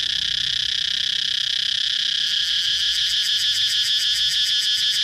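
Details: Cicada producing a loud, shrill drone; after about two seconds the buzz becomes rapidly pulsed, throbbing several times per second until the end.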